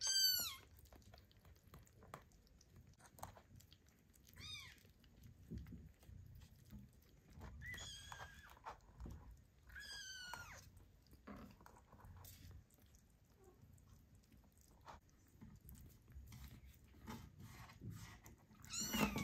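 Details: Weaning kittens nursing on their mother and squabbling over milk, with a few high, thin, rising-then-falling meows in short bursts over low rustling and chewing noises.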